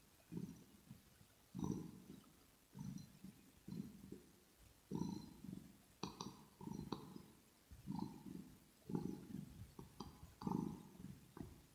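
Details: Kitten purring close to the microphone, recorded ear to ear for relaxation, with grooming and smacking. Low rumbling pulses surge roughly once a second, with faint clicks and a few brief higher squeaks between the rumbles.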